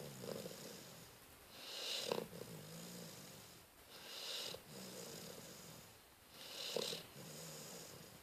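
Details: Sleeping dog named Cleo, filmed 12-12-13, snores in regular breathy rushes roughly every two and a half seconds, with soft low groaning tones between breaths and a brief sharp snort at the end of each inhale.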